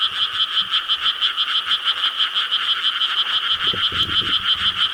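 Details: Frog chorus in Korean rice paddies on a summer night, 4 July 2013: dense, continuous pulsed croaking in two bright bands, rapid rhythmic pulses about three per second, with a brief low rumble near the end.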